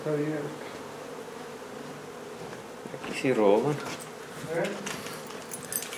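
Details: Steady low hum of a honey bee colony during removal from a renovated old house in Donna, Texas, continuing unbroken beneath two short bursts of human speech midway.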